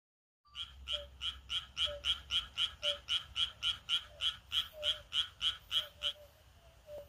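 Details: Frogs in rice paddies on a midsummer countryside night croak in a fast, steady series of short, bright, rattling notes, several each second.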